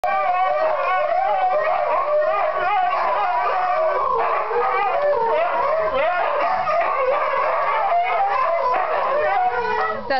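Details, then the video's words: Three Siberian huskies howl together in long, wavering, overlapping tones, each trying to outdo the others. "Siberian Husky Song"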